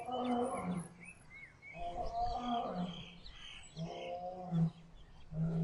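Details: Lions mating outdoors: fairly soft, rasping harmonic growls repeating roughly every two seconds, with faint bird chirps in the background.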